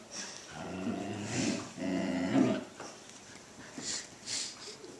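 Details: Two Silken Windhounds, Cammi and Gilbert, playing together: low rumbling growls and whiny vocal bursts come in two main bouts during the first three seconds, then quieter scuffling and softer sounds follow.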